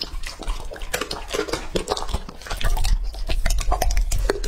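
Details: Wet, squelching chewing from Lucky, a male English-type Labrador aged two and a half, eating raw meat in a small room; bites come in irregular bursts, with dripping, slurping noises between them.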